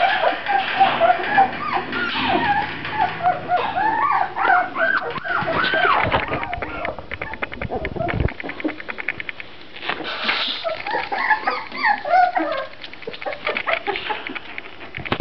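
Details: Grand Basset Griffon Vendéen puppies whimpering and yelping in a busy jumble of overlapping high, curved cries. A few sharp knocks and rustling handling noises break in, and low human speech sits faintly underneath.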